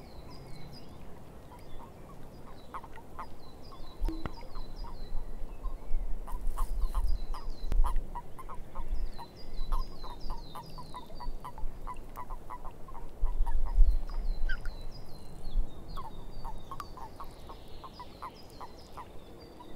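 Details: Frogs calling in a swamp: a dense chorus of short, low croaks repeated several times a second, with thin high chirping bird notes in series overhead and a steady low background rumble.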